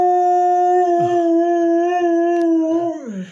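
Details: Dog howling as if replying in conversation: a long, level, pure-toned howl held about three seconds before dropping sharply in pitch at the close.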